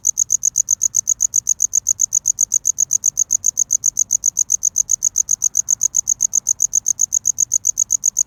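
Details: Cricket wooing a mate, filmed close: shrill, clicking chirps repeat quickly and evenly at roughly six per second, the only clear sound over a dim low background.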